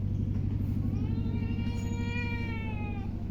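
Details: A hungry pet cat gives a long, drawn-out meow that swells and then slowly falls, over a steady, pulsing, low mechanical rumble.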